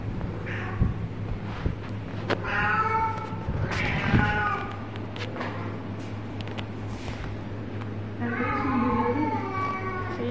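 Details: A house cat playing with its mummy lets out a string of clear, wavering meows in three bursts, some rising then falling, with a low background hum and faint voices between calls.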